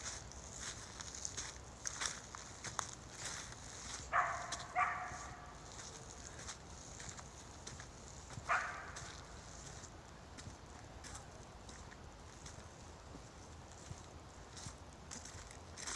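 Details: West Siberian Laika named Metel, a hunting dog finding a squirrel on her own for the first time, gives a few short, sharp barks, two close together near the middle and one more later, over outdoor rustling and footsteps.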